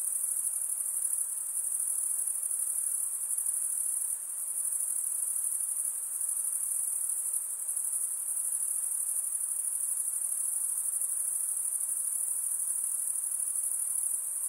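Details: A night-time insect chorus forms an unbroken shrill, high buzz, steady in level apart from a brief dip, with soft broadband hiss beneath and nothing else clearly heard.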